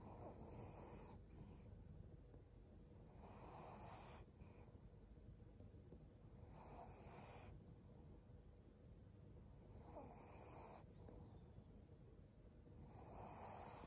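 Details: Maria, a 12-year-old fawn female senior pug in Japan, snores while resting on 11 December 2022: breathy, hissing rasps come about every three seconds, each with a softer low rumble between them.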